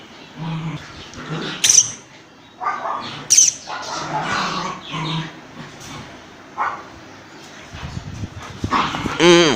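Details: Dogs fighting as an Indian breed attacks a German Shepherd; harsh, loud barking and snarling bursts come every second or so, with short pauses between outbursts and a sharp yelp-like cry near the end.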